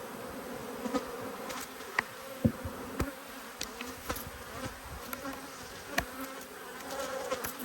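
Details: A steady, even drone comes from honey bees in two hives that are angry at being opened for inspection. Scattered clicks and knocks from the beekeeping work sound throughout.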